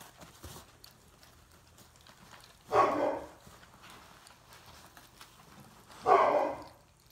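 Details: Cane Corso (Italian Mastiff) puppies in San Antonio, Texas, recorded 7/26/18, give two short, harsh barks about three seconds apart. Faint clicks and knocks are heard in the quiet room between them.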